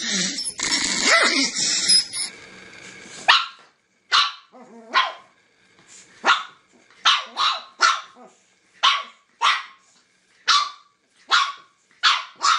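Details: Angry dog barking: after a brief stretch of voices and noise, about a dozen sharp, bright barks follow one another every half second to a second, each short and punchy.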